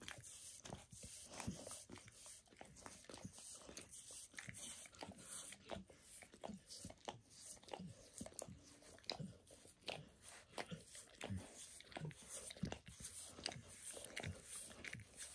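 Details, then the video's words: Max, a pet dog, keeps up a long spontaneous self-grooming session, licking paws, a foot, shin and knee; steady rapid wet smacks and tongue clicks fall close together throughout, with no talking, inside a small room. "Max Licks | Dog Licking Sounds"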